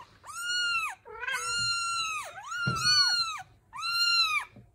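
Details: Kitten meows indoors: four long, drawn-out calls, each holding a steady pitch before dipping at the end, separated by short pauses, in a quiet small room.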